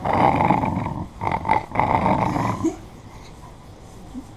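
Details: Female puppy in an aggressive mood growling: a rough, low, buzzing growl in three close bursts over about two and a half seconds, then fading to a quiet room with only a faint last rumble.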